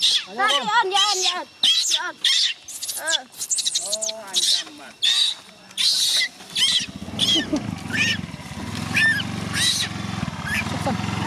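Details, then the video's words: Gina, a young chimpanzee, cries to stop her carer from leaving for home. Rapid, arching, tonal wails rise and fall in quick bursts, mixed with a nearby voice, then a low mechanical hum underneath later cries. "Gina New abandon crying full clip not allow KT go home, Gina request mom stay here"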